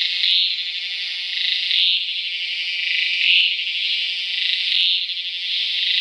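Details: Tacua speciosa cicada from Peninsular Malaysia, 11 May 2014, calling with an intense high buzzing drone that pulses louder about every one and a half seconds, with brief ringing tonal accents at the peaks.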